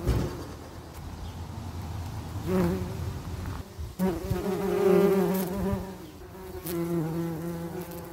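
Bees buzz with a steady, low droning hum that swells and fades as individuals pass close.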